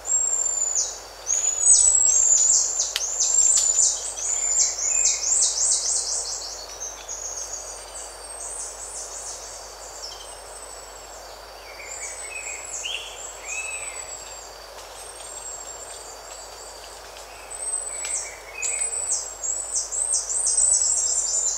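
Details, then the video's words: Buffy-headed marmoset calls, with birds and insects around: dense chattering series of rapid, very high down-slurred chirps in loud bursts at the start and end, and softer scattered high notes and short whistles between. "Buffy-Headed Marmoset. MCU Contact Calls And Other Calls."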